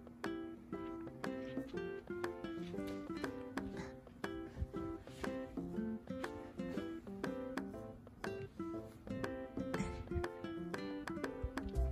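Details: Bright ukulele music plays throughout with a steady plucked rhythm and no animal voice.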